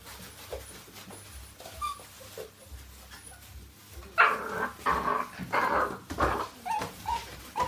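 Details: Rhodesian Ridgeback puppies, a litter of twelve at six weeks old, playing. Faint sounds at first, then from about four seconds a lively run of short yelps and whimpers, roughly one per second.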